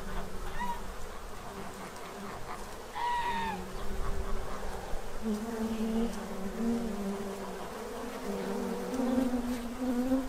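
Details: Droning buzz of bees feeding from a tray to prepare for winter in Central Illinois, rising and falling as they pass; a short farm-bird call cuts in briefly near the start.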